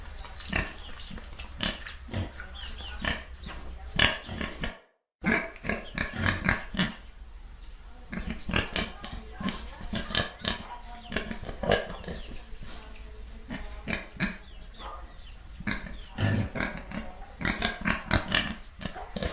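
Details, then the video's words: Pigs oinking together: rapid, overlapping short grunts and snuffles with occasional sharper squeals, briefly cut to silence near five seconds before the crowded grunting resumes. "PIG SOUND EFFECT (Oink Oink)"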